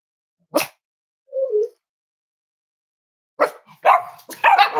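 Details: Snuggling Cavalier King Charles Spaniel puppies kept as emotional support animals at home, warm Friday morning: one sharp yap, a brief thin whine, silence, then a quick burst of high yips and whining barks.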